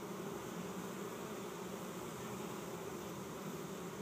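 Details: Dense, unbroken droning of a honey bee swarm, some 6,000–8,000 bees resting on the ground in a Chico, California yard in 2013 beside an empty hive set out to capture them.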